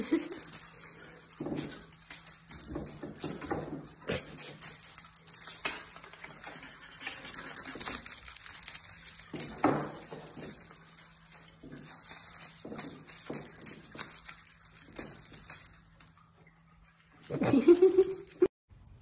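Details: Birman cat indoors, after catnip was found hidden in the cradle of a cat condo; soft rustling and light tapping in a small room, then one short, loud tonal meow with a rising-falling pitch near the end.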